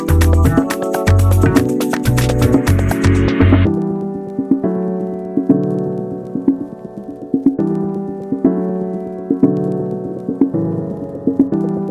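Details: Synthesizer and keyboard music plays throughout, with a dense rhythmic opening that settles into steady repeated chords, and no animal is heard.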